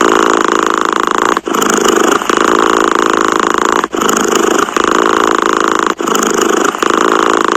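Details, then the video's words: Purring cat: a rough, evenly pulsed drone in repeating cycles, each stretch separated by a brief silence around 1.4, 3.9 and 5.9 seconds, the rhythm steady throughout. "Tiếng mèo kêu gừ gừ dễ ngủ, thư giãn - The sound of a cat snoring helps you sleep"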